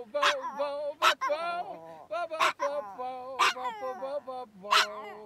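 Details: A pet Chihuahua sings along with its grandfather: sustained, slightly wobbling howls ride above the man's lower steady singing, punctuated by five sharp yips spaced about a second apart.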